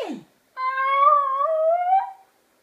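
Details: Basenji playing with another Basenji on their bed one evening in 2014, indoors in a small room: a sustained, tonal, howl-like yodel of almost two seconds that wavers and then rises toward the end, preceded by a short human voice.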